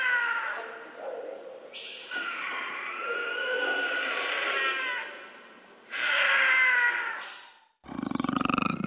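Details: A cougar (Puma concolor) gives long, harsh, wavering screams that rise and fall, broken by brief pauses.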